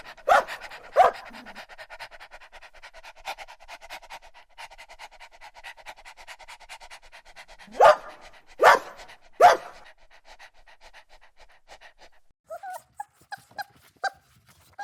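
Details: Puppies running and playing together on a green meadow; sharp single barks come twice near the start, then a quick run of three about a second apart, with soft panting between and short higher yelps near the end.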